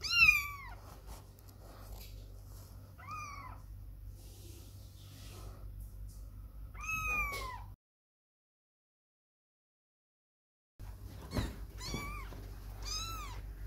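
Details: Kittens playing apart from their mother during her grooming time; scattered high meows, a few faint, one long and loud, then a short silence before two more arched meows against low background hum.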